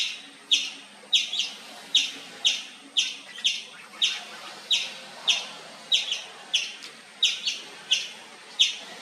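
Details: Indian palm squirrel. An Indian palm squirrel calls in a loud, insistent series of sharp, high-pitched chips. The notes come in a steady, slightly uneven rhythm of about one or two per second, each a quick bright click.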